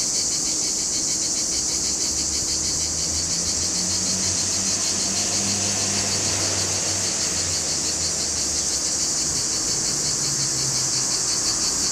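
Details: Male cicadas sing in a July chorus at Larissa, Greece: an intense steady high-pitched drone with quick pulses, while a low engine-like hum rises and fades in the background midway.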